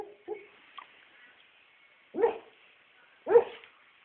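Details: A dreaming puppy gives soft, muffled woofs and whimpers in its sleep: a few faint yips early, then two short, breathy barks about a second apart, with quiet between them.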